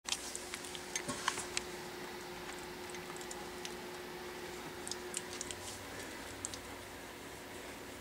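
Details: A quiet indoor room with a steady low hum, soft scattered tapping and faint ticking, with no animal voice.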